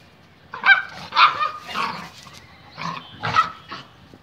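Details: Bullmastiff and Labrador fighting; six short, harsh barks in uneven bursts, some paired closely, others spaced about half a second apart, over low background rumble.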